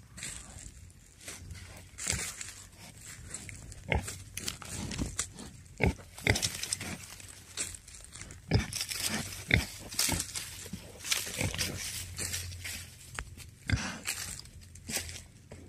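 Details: Wild boar coming to meet a person who calls them: short, broadband grunts and snorts repeat irregularly, about every second or two, over a steady low hum, with rustling and crinkling between calls.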